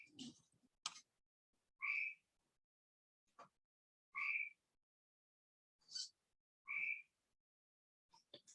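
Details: Cope's gray treefrog recorded in Monett, Missouri: short squawky buzzy trills, each about half a second, repeated roughly every two and a half seconds, four clear calls with faint clicks and taps between them.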